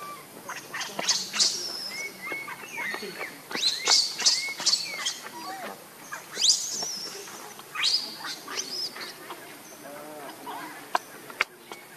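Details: Baby monkey Lucie crying pitifully from hunger, wanting milk: bursts of shrill, high squeals and sharp chirping cries, several rising and falling, repeated in quick uneven clusters with brief pauses between.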